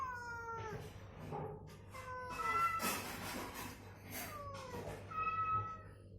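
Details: Domestic cat recovering from illness, deliberately prompted with played-back cat meows so it would move and call, answering back and forth: about five drawn-out, falling, harmonic meows, with short noisy rustling bursts midway and a low steady hum.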